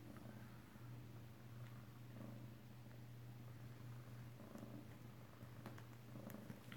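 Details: Close-up purring of kittens at home in Alabama, recorded 7 February 2018 indoors: a soft, steady low rumble that continues through the whole stretch, with faint clicks and room noise and a quiet voice nearby.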